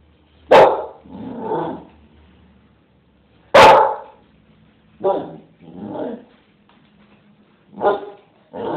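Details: A 9-month-old Bull Terrier barks in short, forceful bursts spaced a few seconds apart, each trailing into a softer, throaty grumble before the next.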